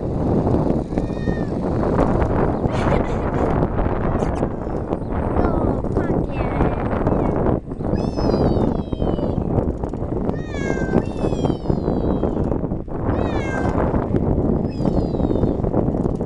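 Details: Ragdoll kitten on a bicycle ride gives bursts of high, wavering meows, some in rapid strings of three or four, amid constant heavy wind roar from the moving bike.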